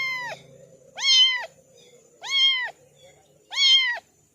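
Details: Three loud, drawn-out kitten meows, each arching up and down in pitch and lasting about half a second, evenly spaced roughly every 1.2 seconds, with faint low hum between calls.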